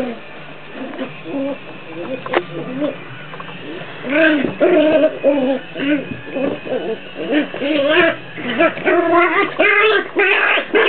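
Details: Two Jack Russell Terrier puppies play fighting indoors; scuffling and patter at first, then repeated harmonic growls and grumbles with rising-falling contours, coming in short bursts with brief pauses.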